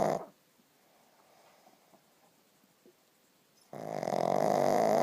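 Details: Pug asleep and snoring: the tail of one rough snore at the start, over three seconds of quiet, then a long, harsh, buzzy snore that builds and carries to the end.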